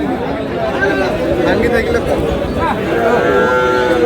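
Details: Sahiwal cattle, bulls and young animals on sale at a busy market where a farmer from Narayanganj buys stock: drawn-out, wavering lowing runs beneath overlapping men's voices and crowd noise.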